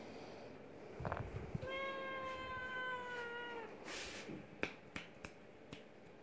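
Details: Young Oriental or Siamese cat kitten at a cattery, one long steady meow of about two seconds with clear harmonics, a short earlier sound and clicks and thumps afterward; a person says a name briefly before.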